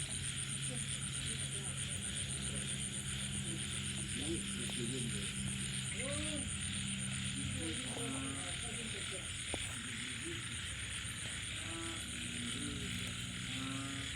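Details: Frogs of several kinds calling at night after rain: short harmonic croaks and rapid stacked pulse trains repeat irregularly over a steady, dense high insect-like buzz and a constant low hum.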